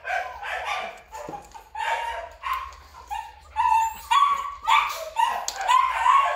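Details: Excited, irregular barks and squeaky whines from a black male Belgian Malinois at a kennel in Vietnam, growing louder and more insistent toward the end.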